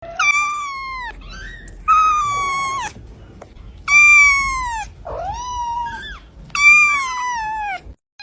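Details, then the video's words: Kitten meowing indoors: five drawn-out, harmonic-rich meows, each about a second long, some level and some dipping then rising, separated by short silences. "صوت قطة صغيرة"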